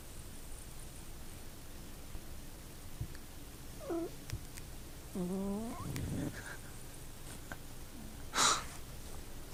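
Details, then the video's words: Pet cat named Toby making odd noises indoors: a short rising-falling chirp, then a longer wavering, strained moan with stacked harmonics, followed by a brief sharp click or tap. "Toby is making weird noises"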